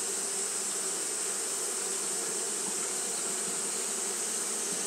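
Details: Steady fanning by Japanese honey bees on a hot day, heard as a low, even wing drone blended with persistent high-pitched hiss, no pauses.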